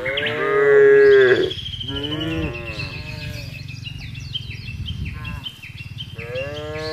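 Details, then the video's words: Big cattle herd being driven through an expansive green pasture: one loud, sustained moo at the start, followed by softer overlapping lowing from other cows and a steady background of chirping birds. "Menggiring Sapi Lembu Berkeliaran menyusuri Padang Rumput yang luas dan diiringi suara sapi"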